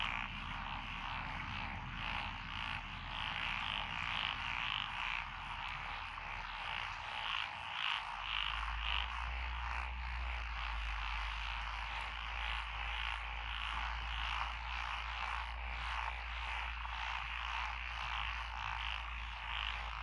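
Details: Dense chorus of frogs along a country road through lotus rice paddies in Echizen, Fukui Prefecture, Japan, June 12, 2021. Overlapping croaks pulse rapidly and irregularly in a continuous wall of sound, with a steady low hum starting partway through.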